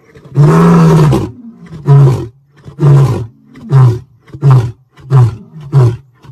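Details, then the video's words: Lion roaring: one long, deep, moaning roar opens the sequence, followed by six short, low grunts spaced roughly 0.6 to 0.7 seconds apart, each one brief and forceful. "lion sounds"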